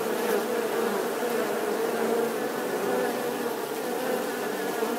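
A bee hums with a steady, droning buzz that holds one low pitch throughout.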